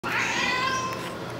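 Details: A female domestic cat 'talking' indoors gives one drawn-out, steady meow lasting over a second, with clear even harmonics and a slight fade at the end.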